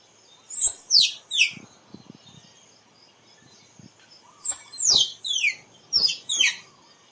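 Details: Squirrel calls played as a decoy to draw squirrels in for photography: two bursts of three to five shrill, high whistled notes, each sweeping steeply downward, separated by about three seconds of quiet with a faint steady high hiss.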